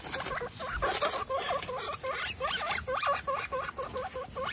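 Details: Baby guinea pigs one week old, named Snow, Pistachio and Pumpkin, in a home with 29 guinea pigs, make a steady run of quick rising-and-falling harmonic squeaks, several each second, over light rustling and clicks.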